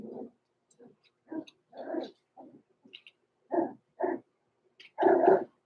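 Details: Overnight in the Red Barn Cavaliers puppy pen, six-week-old blenheim Cavalier King Charles Spaniel puppies Roman and Blue, born November 14, 2022, give a run of short, separate yips and whimpers in bursts, the last one longest and loudest.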